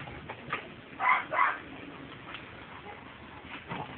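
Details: American Staffordshire Terrier and an Alabai playing together, recorded on 10 September 2012. Two short, harsh barks come in quick succession, followed by faint scuffling and softer yips.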